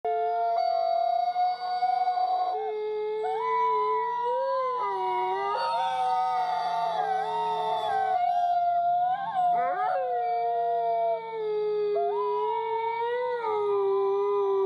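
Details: A gang of coyotes howling at Koshi Tappu Conservation area: several overlapping long, tonal, harmonic howls that hold steady, then bend up and down, layered voices rising and falling through the whole stretch.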